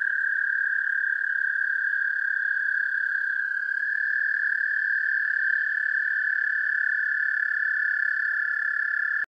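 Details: American toad song recorded with a parabolic microphone: a long, steady, high musical trill that holds one pitch without a break.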